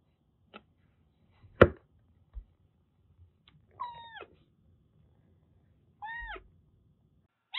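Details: Rescued stray Siamese mix kitten Daichi at a Kagoshima kitten nursery, indoors, gives two short arched meows several seconds apart, with scattered clicks, thumps and faint background rumble.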